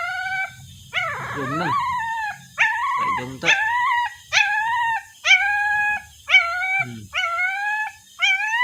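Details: Crying puppy looking for its mother gives a rapid series of about eight shrill, slightly rising wails, shorter toward the end, with low muffled rustling and a few brief lower noises between the cries.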